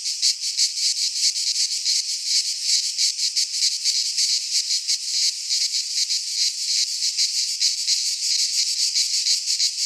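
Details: Shrill, rasping song of cicadas in a pine forest in Greece during midsummer, a continuous high chorus pulsing in rapid, slightly irregular waves of nearly three per second.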